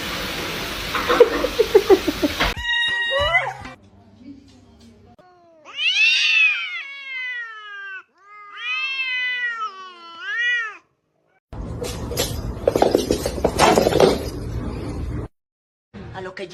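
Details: Cats in a compilation of funny clips; several drawn-out rising and falling meows in separate bursts, between stretches of noisy background, with people laughing and a voice asking if the cat is hungry.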